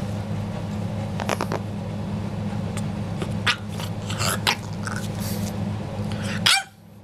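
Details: Cranky French Bulldog making a few short, rough, bark-like grumbles and snorty bursts, scattered over several seconds above a steady low droning hum, ending in an abrupt cut.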